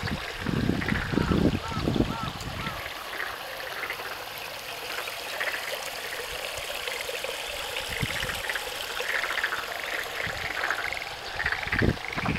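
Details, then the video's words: Frogs calling at Tsumago in Japan's Kiso Valley: short repeated chirping notes in a loose chorus over steady running stream water, with brief voices and low rumbling near the start. "Frogs calling"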